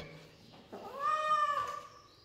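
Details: Kitten or cat held indoors while a man tells it to let go in Hindi: a softer, lower meow rising then sustained about half a second, ending with a faint tail, quiet room.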